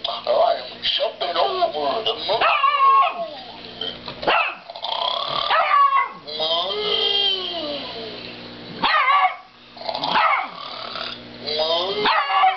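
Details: Dog barking at a snoring cow, a continuous run of rough barks and yelping, rising-falling calls spread across the whole stretch, with a short pause near nine seconds and steady low hum underneath.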